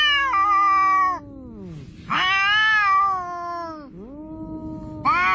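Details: Seaside quarrel between two cats including an orange cat, trading long wavering yowls that bend downward into low growling moans, with a sharp rising wail breaking in near the end.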